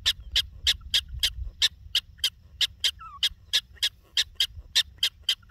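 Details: In the Badlands, a prairie dog gives sharp, squeaky chirp-barks, repeated about three times a second over a low wind rumble.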